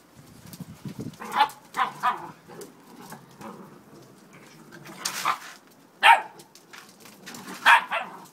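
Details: Peppa's eight-week-old puppies at play in the garden give a series of short, bright yips and barks at uneven intervals over a soft background of low growling.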